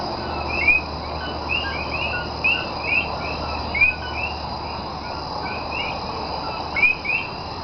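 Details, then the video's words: Night chorus of Common coquí in Cayey, Puerto Rico, 28 January 2010: several frogs give brief rising whistled notes, a couple every second, over a constant low insect-like drone. "Nighttime Sounds Of Puerto Rican Coquí ( Co-Key) Frog"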